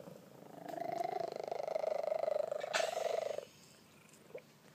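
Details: Loud purring from a contented male Maine Coon cat in a room: a strong, evenly pulsing buzzy rumble sustained for nearly three seconds, then stopping abruptly, leaving quiet background with a faint tap.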